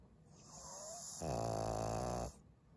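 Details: Snore from Maria, a senior fawn Pug bitch aged 12, recorded in Japan on 18 February 2023: soft breathing, a faint thin whistle, then one loud, droning, buzzy snore lasting about a second before fading back to quiet breaths.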